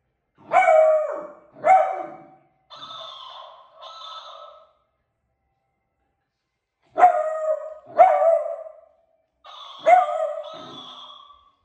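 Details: Female Beagle puppy barking at a talking cactus toy: pairs of short, sharp yapping barks, each pair answered by the toy's higher, flatter mimicked replies, repeated twice.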